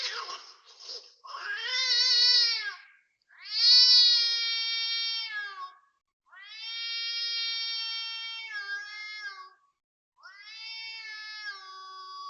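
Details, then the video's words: Cat heard at 5.09 am on 19 February 2026 at a housing block in Toa Payoh, Singapore: four long, drawn-out, wavering yowls, each about two seconds, separated by short silences. "Loud cat noise"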